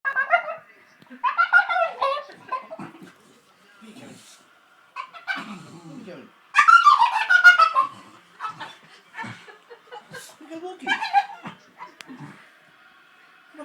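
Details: An excited dog yowls and whines in bursts of wavering, rising and falling tones before a walk while a person talks to it.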